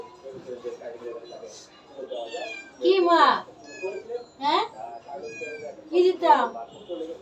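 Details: Grown kittens that no longer want milk meow for rice, with strong rising-then-falling cries near three, four-and-a-half and six seconds over quieter mewing and human speech.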